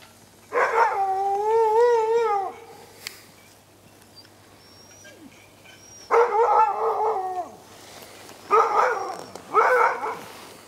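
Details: Husky dogs howling in the yard: one long, steady, harmonic howl lasting about two seconds, then after a pause three more bursts of overlapping howls from several dogs, the last two close together.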